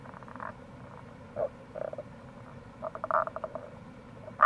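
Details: Rana tagoi, Tago's brown frog, recorded in April by the Kamo River gorge in Itoshima, Fukuoka: quick trains of soft pulsed croaks and a few short grunts, several frogs overlapping, constant flowing-water hiss beneath.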